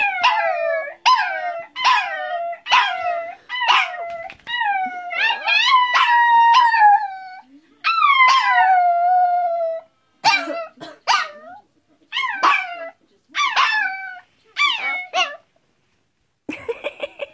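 A Chihuahua howls in high, wavering notes, each starting sharply and sliding downward.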